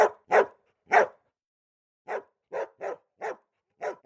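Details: Golden Retriever puppies: three loud, hoarse barks in the first second, a pause, then a run of lighter evenly spaced yaps.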